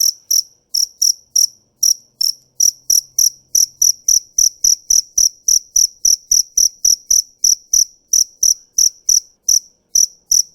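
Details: Cricket, said to be a fighting cricket, keeping up a long run of high, trilling chirps about three and a half per second, sometimes paired or slightly uneven in spacing, against silence.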